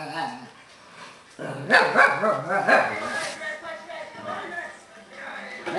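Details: Albus, a Tibetan Terrier, talks instead of barking while lecturing a beagle his family was dog-sitting, giving wavering, warbling moans and groans that rise and fall in pitch, with louder yowling stretches midway.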